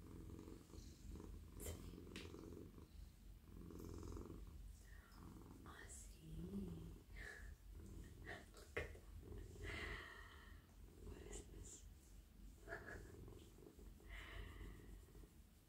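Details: Very friendly male domestic cat purring while being stroked over head, neck and whole body in a lap; a deep, even rumbling purr with rhythmic swells, dotted with light rustling from petting and faint whispering.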